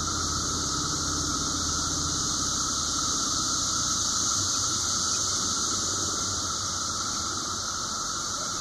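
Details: A massed chorus of 17-year periodical cicadas, Brood V, makes a steady, unbroken droning whine; recorded in Washington Cemetery, Washington, Pennsylvania, on 30 May 2016 at 12:34 pm.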